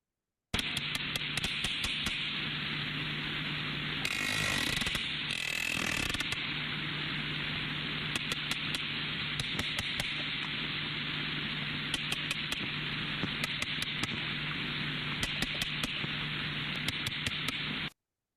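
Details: Sperm whales, which whalers called "carpenter fish", produce sharp, knocking clicks in overlapping, irregular trains, like a hammer striking nails.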